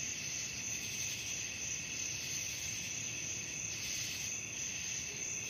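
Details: Crickets at night producing a constant high-pitched trilling chorus, layered bands of shrill buzzing that swell slightly near the end, with no other clear sounds.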